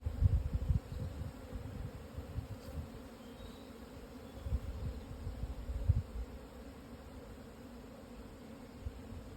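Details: Japanese honey bees swarming at noon on 17 June 2024 after strong wind eased, on a plateau at 1054 m on the southern foot of Yatsugatake, Hokuto, Yamanashi, Japan; steady low droning hum with soft gusty rumbles and bumps.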